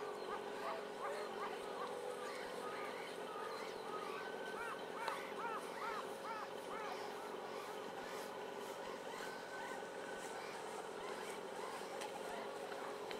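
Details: Baby meerkats born at Nagasaki Bio Park in February 2008, making a run of short, arched, squeaky chirps, two to three per second, over a steady low mechanical hum.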